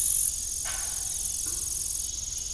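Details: Evening crickets on an old family farm make a steady, shrill high-pitched trill, while a single metallic creak from a rusty, broken windmill rises briefly above it.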